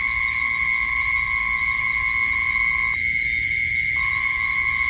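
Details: Insects heard at night: quick, high, evenly spaced chirp bursts begin after a second and continue to the end. A constant shrill hum persists, its lower part cutting out abruptly for about a second.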